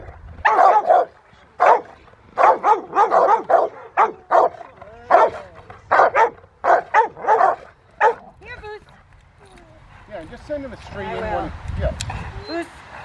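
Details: Willie v Schwarzerwald, a Rottweiler, working with a helper in rain at Victoria Rottweiler Club in December; about eight seconds of rapid, forceful barking in quick runs, then quieter whines and human voices.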